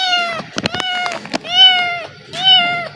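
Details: Hungry black kitten that ran toward a person it had come to know in a single day: three loud, even meows about a second apart, with clicks and handling noises between them.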